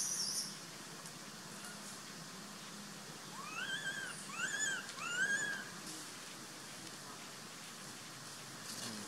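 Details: An abandoned baby monkey named Sovana crying to be taken back while Papa Lin hides in the troop. Three piercing, arched squealing cries in a tight cluster mid-way, surrounded by steady background hiss.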